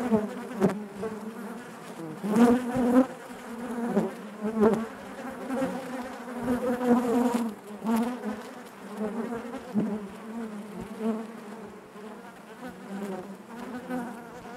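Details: Inside a honey bee hive, a thick droning hum fills the recording, rising in several louder surges around the middle and fading back, punctuated by soft taps and brief scratchy bursts.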